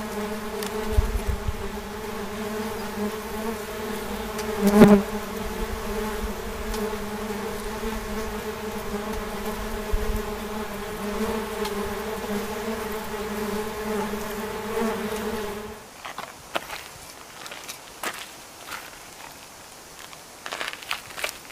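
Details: Wasps hum in a steady, layered low drone with one sharp click partway through. The buzz cuts off abruptly about three quarters in, leaving quiet scattered knocks and rustles.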